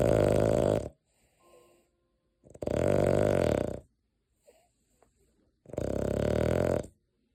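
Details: Snores of the sleeping dog Deokgu, whose nightly snoring costs its owner sleep; three rasping, rattling snores of about a second each recur every three seconds, separated by soft breaths and a faint click.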